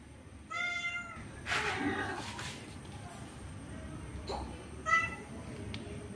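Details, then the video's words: Orange male cat pursuing a female to mate: a short clear meow, then broadband rustling thumps, and a brief second meow near the end, with steady background hum. "Orange male cat wants to mate with female cat forcefully"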